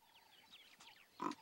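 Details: A radio-collared leopard mother in dense vegetation at Erindi reserve, Namibia, gives short, low grunts to call her cub while staying alert, with faint bird chirps beforehand.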